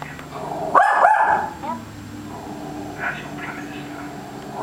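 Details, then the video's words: Female Scottish Terrier indoors, joining in occasionally while a West Highland terrier barks at animals on TV, giving her odd howl-like bark: one drawn-out, tonal, wavering cry lasting about a second, then quieter faint sounds. "the Scottie - Howling"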